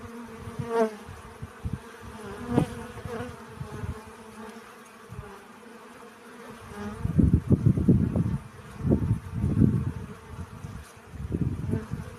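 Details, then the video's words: Honey bees gathering pollen, a soft low hum for the first half, then louder overlapping buzzing passes swelling and fading in quick bursts toward the end. "Relaxing Bee Sounds. Сбор пыльцы."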